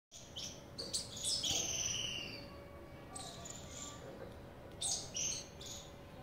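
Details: Squirrel calling with sharp, high chirps in quick irregular bursts of about four per second, some notes sliding downward, over a steady low background hum.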